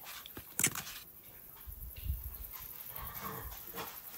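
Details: Indoor French Bulldog giving soft whimpers and breathy huffs, with one sharp high click near the start and low murmuring sounds between.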